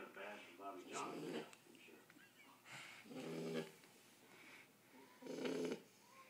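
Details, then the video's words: Sleeping Shar Pei puppy, ten weeks old, snoring in slow rhythmic rasps about every two seconds, each snore a short rough swell of breath over faint background hiss. "the shar pei snoring"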